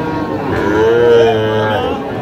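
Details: Sahiwal calf at a cattle market in Sirajganj, Bangladesh, lowing once in a single sustained moo that swells and fades, with people talking in the background.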